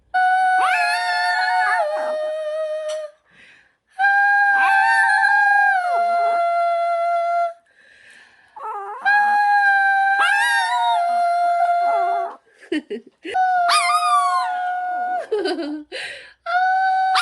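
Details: A long-haired Chihuahua sings along to a song, howling in long, wavering, tuneful notes, pausing briefly between phrases.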